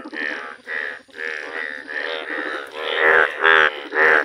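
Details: Indian bullfrog, yellow-coloured, calling in a village: rough, buzzy croaks repeated about twice a second, each a rich harmonic blare, the last few louder and deeper-sounding.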